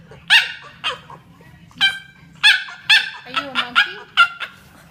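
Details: Funny noises from a French Bulldog: a series of loud, squeaky, harmonic yelps, at first spaced about a second apart, then coming faster with short whining slides in between.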